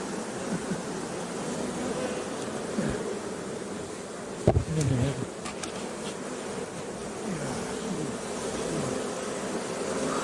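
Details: A dense, continuous buzzing from a mass of honey bees around a hive fills the air, broken midway by a knock and a short spoken Korean remark.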